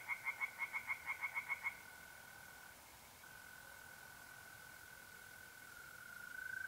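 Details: A tree frog at a pond by night in mid April in north-east Italy gives a short burst of about ten rapid pulsed croaks and falls silent. A steady, continuous mole cricket trill carries on afterward.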